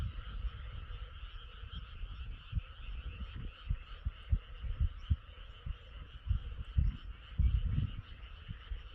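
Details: Frogs chorusing at night under a cloud-covered moon: a steady, dense trilling drone of many callers, layered over irregular low thumping pulses.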